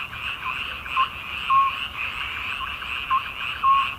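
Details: Frogs calling in midsummer: a steady, dense trilling chorus with short, clear piping notes that rise above it irregularly, roughly every half second to second.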